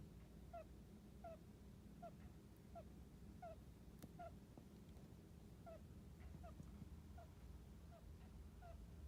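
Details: Hamster snores in its sleep, a quiet series of tiny squeaks like 'kyu kyu', spaced unevenly about one per second, above a soft low-pitched room hum.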